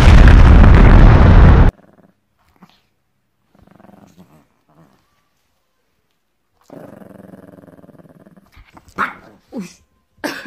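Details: Seven-year-old Shih Tzu, annoyed after home grooming, a bath and blow-drying: a loud dryer-like roar opens, then quiet shuffles and a low pulsed growl lasting about two seconds, followed by a few sharp short yelps near the end.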